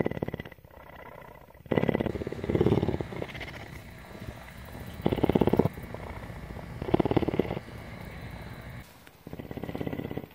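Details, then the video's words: Tawney the cougar, a female mountain lion at CARE in Bridgeport, Texas, purring in a rolling cycle: louder pulsed rumbles roughly every one and a half to two seconds, with quieter pulsing in between. "One hour of: Cougar purr!"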